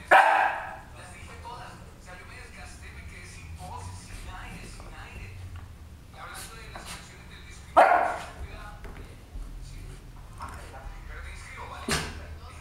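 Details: Male West Highland White Terrier playing with his bone indoors; two short, sharp barks, one at the start and another about eight seconds later, over a quiet room with faint voices and small noises.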